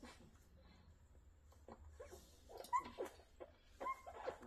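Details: Rottweiler at a kennel making a few brief high-pitched whimpers near the end, with knocking and shuffling noises throughout.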